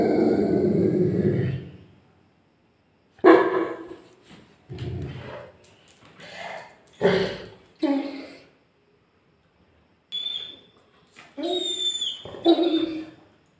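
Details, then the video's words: Angry Labrador dog opening with a low rumbling growl of about two seconds, then a string of short, rough barks and yelps spaced about a second apart, with brief faint squeaks between them. "labrador dog angry moment"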